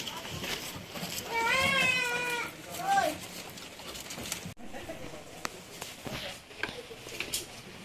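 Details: F1 Anglo-Nubian goat at a farm in San Carlos City, Negros Occidental, Philippines, giving a long, tremulous, quavering bleat lasting about two seconds, followed by a short, higher cry, with farm background noise and faint clatter afterward.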